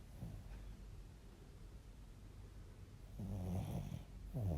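A Bichon Frise snores with low, rumbling breaths that swell into louder raspy snorts near the end.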